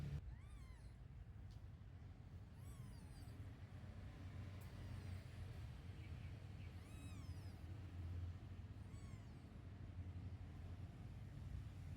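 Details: Newborn kittens nursing milk from their mother cat give thin, high mews that rise and fall in arching sweeps, heard in a few short bursts spread across twelve seconds over a steady low rumble.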